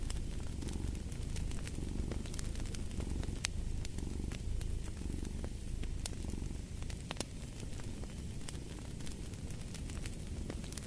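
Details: Cat purring in a relaxing mix, a low continuous rumble that pulses gently about once a second, while a crackling fireplace adds frequent sharp snaps on top.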